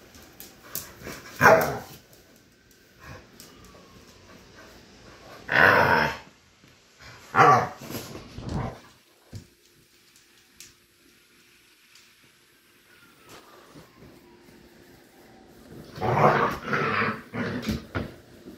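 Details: Pit bulls fighting: short, harsh bark and growl bursts come at about 1.5, 5.7, 7.5 and 16.5 seconds, separated by long quiet stretches with faint background noise.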